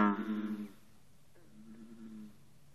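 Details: American bullfrogs with green frogs in an intense early-morning chorus at 54 degrees: low, droning calls, a rich twangy burst, then a fainter steady hum farther off; recorded on a cellphone.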